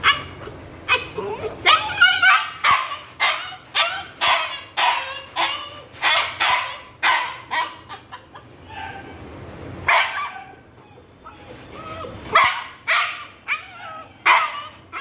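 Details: Husky and Pitbull puppies left on a balcony as punishment, barking in rapid sharp yelps repeated about twice a second for fifteen seconds, with a short pause near ten seconds.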